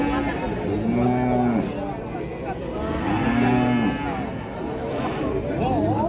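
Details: Two bellowing moos about two seconds apart from Limousin Belgian cattle on show, each a steady tone bending down at the end, over continuous crowd chatter and background music.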